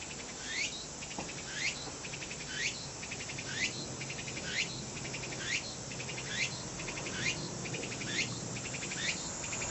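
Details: Tsukutsukuboshi cicada singing, offered as a free sound effect; rising buzzy sweeps alternate with rapid pulsed trills, the phrase repeating roughly once a second in a steady rhythmic series.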